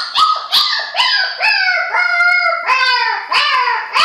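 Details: Puppy learning to howl, giving a run of short, wavering, harmonic-rich howls that each start high and slide downward, repeated roughly every half second with brief gaps between them.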